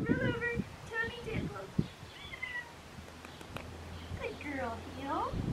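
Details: Young female Australian Shepherd puppy, black tri, 7.5 weeks, at a farm in Talala, Oklahoma: thin drawn-out whines and short squeals, some sliding downward, others rising at the end, with a faint low hum beneath.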